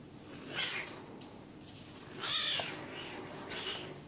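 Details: Young Bengal cats play-fighting together in Kuching, Sarawak, on Malaysian Borneo; soft, breathy high squeaks come in three short bursts about a second apart, with faint room noise.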